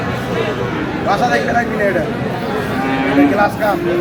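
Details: At Aftabganj cattle market, Dinajpur, where Friesian and cross-breed bull calves are sold on 22 July, a short low bellow rises near the end amid busy chatter and bargaining voices.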